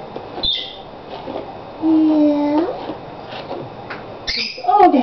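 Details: Jenna, a female rescue dog with a history of rough brushing, lets out a steady, nasal whine of under a second while being groomed, then a short wavering whimper. Brush scrapes and soft praise from a woman are also heard.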